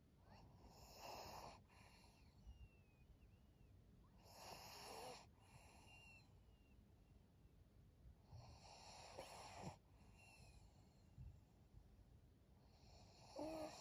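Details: Pug Maria, a 12-year-old fawn female senior pet dog in Japan, recorded on 12 April 2023 at 21:52, breathing in rhythmic wheezy, snoring bursts roughly every three to four seconds, each a hissing rasp, with faint whistly squeaks between.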